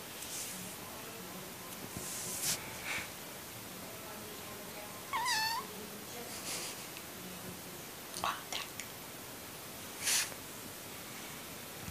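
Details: A cat being washed lets out a single drawn-out, wavering meow about five seconds in. Soft whispered speech sits underneath throughout, with short sharp bursts of splashing or rustling noise around it.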